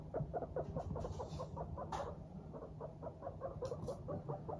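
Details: Cheerful Teddy and Abyssinian guinea pigs on the move, uttering a steady string of low clipped 'pu' notes, roughly two to three per second, with faint rustling and a constant low hum.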